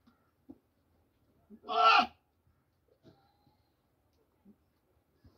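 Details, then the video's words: Farm goat in Pakistan screaming during an intense fight between two goats over eating corn; a single short, loud, harsh human-like scream stands out in near silence, with faint clicks and knocks around it. "Strangely Screaming Goat | Goat Sound"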